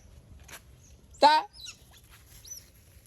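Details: One brief, strained squealing chirp from an otter, rich in overtones and dipping slightly in pitch, followed by faint scattered ticks in near silence.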